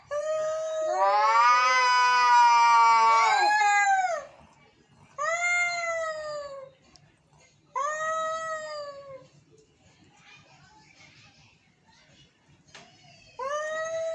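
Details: Angry cats meowing: a loud four-second wailing yowl followed by shorter arched meows every two to three seconds, strongly harmonic and nasal, with quiet pauses between.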